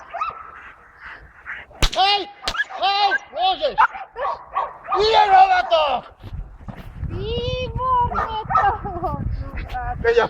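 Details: Five-and-a-half-month-old Belgian Malinois named Jano od Argalasov giving a run of short, arched, yelping whines, then drawn-out higher whining tones, with people talking and laughing throughout.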